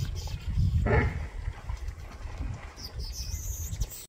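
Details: Hippopotamuses in a tranquil waterhole in Kruger Park give a deep, rumbling honk near the start, then heavy low-pitched grunting, with faint birdsong as lesser masked weavers perch nearby.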